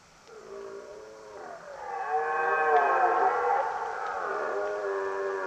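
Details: Red deer belling: a loud, drawn-out harmonic roar that rises in pitch, swells to a strained, screaming peak near the middle, then sags and trails off over about five seconds, with faint ticking in the background.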